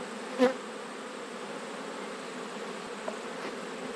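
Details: Autumn honey bee colony opened for a hive check: an even, continuous buzzing drone that holds steady for the whole stretch, broken only by one soft knock near the start and a faint tap later.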